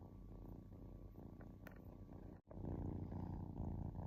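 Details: A kitten purrs while relaxing, giving a deep continuous rumble that swells with each breath, broken by a sudden near-silent gap of a split second midway before the rumbling resumes.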